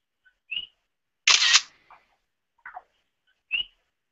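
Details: An invasive common coqui frog calls from a picnic-area trail in Puna District on Hawaii's Big Island, possibly at Lava Tree State Monument. It gives a two-note call, a low 'co' then a higher whistled 'qui'.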